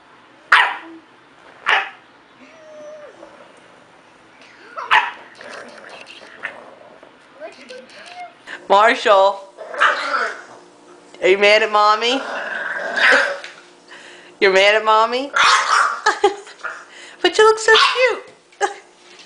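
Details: Pet dog vocalizing at length, with wavering, warbling howls that swoop up and down in pitch in repeated bursts, mixed with yips and human speech in between.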